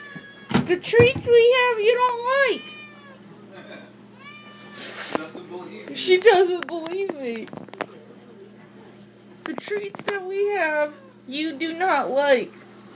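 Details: Indoor female house cat begging for treats kept in a cabinet, giving long wavering meows and shorter rising calls in irregular bursts, while a woman's voice speaks between them in a small room.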